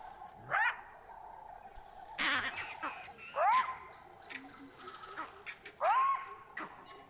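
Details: Repeated jackal alarm barks on Dead Tree Island warn the leopard Mosweo of danger near her den: three or four rising yelps a couple of seconds apart, with vervet monkeys chattering in the distance.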